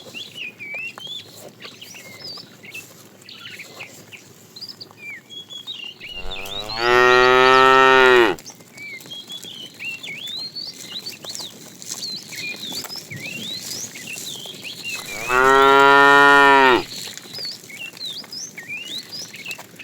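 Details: Fat cow in a tame herd being herded in the afternoon, mooing to call the female: two strong, sustained moos about eight seconds apart, each near two seconds, with chirping birds throughout.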